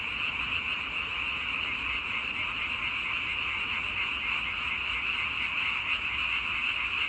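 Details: Steady massed frog calling, a constant high trilling drone of countless overlapping voices at even loudness throughout.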